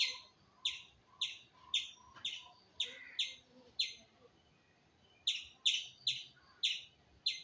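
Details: Squirrel calling with short, bright chirps about two a second, a silent gap of nearly a second, then the series resumes slightly faster; faint background noise.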